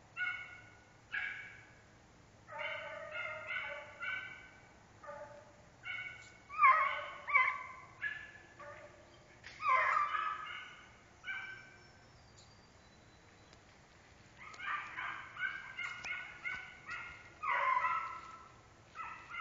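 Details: Repeated harmonic baying from an American Foxhound, short drawn-out notes in uneven bursts with brief pauses between groups; faint low hum throughout.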